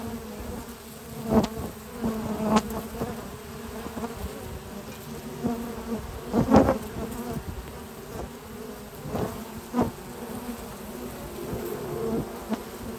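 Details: Honey bees at the hive entrance on a spring morning, foragers carrying in at least six kinds of pollen; a dense humming drone throughout, punctuated by sharp ticking sounds and bursts of louder close buzzing.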